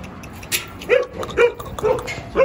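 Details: Jindo dog in Korea yapping four times in short, sharp, mid-pitched barks spaced about half a second apart, with quiet background.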